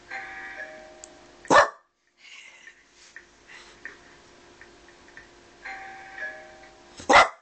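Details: Boston Terrier barking as the doorbell rings, indoors: two sharp, loud single barks about five and a half seconds apart, set against sustained chime-like doorbell tones and quieter rustling between them.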